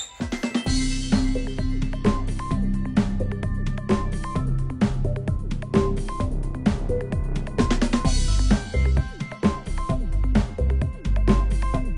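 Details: Loud drum-kit music with a pounding bass drum, snare hits and a repeated melodic line plays throughout.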